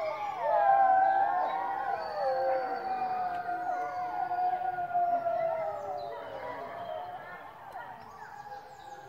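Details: Three captive grey wolves in a French wildlife park in July 2016 howl in chorus: one clear, steady howl holds and slowly falls while other voices weave above and below, fading toward the end.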